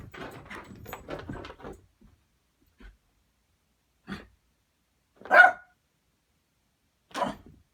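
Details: Puppies chasing each other around a sleeper sofa indoors; scuffling and soft play noises at first, then a few short sharp yaps spaced about a second or two apart, one louder bark in the middle.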